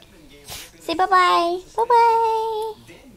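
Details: Yorkshire Terrier named Killer singing on cue: two drawn-out, high howling notes, each held under a second and sliding slightly downward, separated by a short break, with a brief breathy noise just before.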